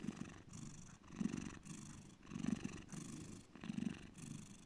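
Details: A cat called Bear purring deeply, the low vibrating rumble pulsing on each breath about every 1.3 seconds, loud and close.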